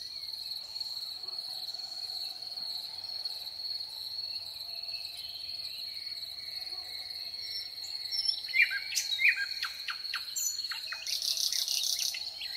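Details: At sunset in spring woodland in May, crickets trill steadily on a high, unbroken pitch throughout, with brief calls and chirps from birds such as thrush, nightingale and cuckoo breaking in near the end.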